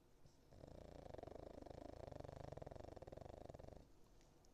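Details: Nico, a Cavalier King Charles Spaniel in foster care, asleep indoors and snoring like an old man: a rough, fluttering low rattle that swells and holds for about three seconds, then stops in a quiet room.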